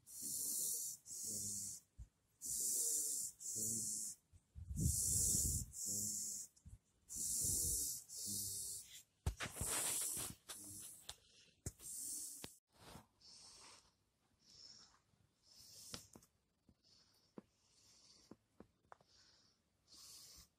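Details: Shiba Inu on the day before its death, breathing with harsh, hissing wheezes. Strong breaths come in regular bursts about every second, then grow shorter, fainter and more ragged toward the end.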